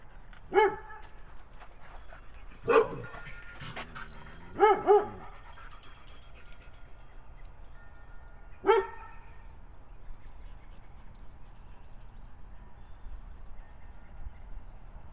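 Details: Brown dog barking in Wadena, Minnesota, alongside Stella, a dog with black eye patches, both seeking attention; sharp single barks near 0.6, 2.8 and 8.7 seconds with a quick double bark around 4.7 seconds, then quiet background.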